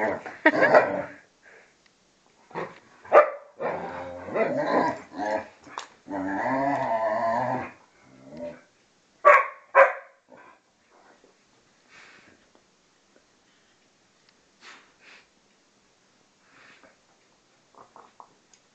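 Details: Vizsla and pointer, two and a half and twelve years old, in play fighting: snarling growls and a couple of sharp barks in the first ten seconds, then near quiet with faint scuffles.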